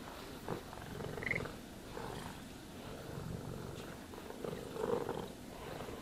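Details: Cat purring contentedly during brushing and grooming, a steady low throb beneath quiet, periodic swishes of the brush passing through fur.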